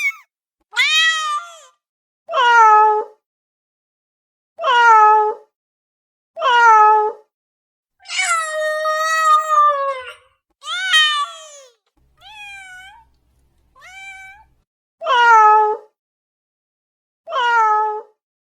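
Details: A cat calls for immediate attention with repeated downward-sliding meows about every two seconds, one longer drawn-out meow midway, and a couple of softer, thinner upward-curving mews.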